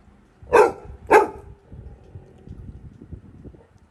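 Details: Scared Labrador retriever puppy barking at no one inside a house: two loud, sharp barks about half a second apart, then low indoor background noise.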